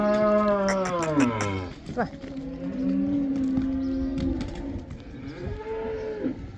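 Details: A herd of black cows returning to pasture in the Netherlands, the Dutch cow dance; one loud moo slides downward over a second and a half, then a long steady low from another cow, with a brief rising call near the end.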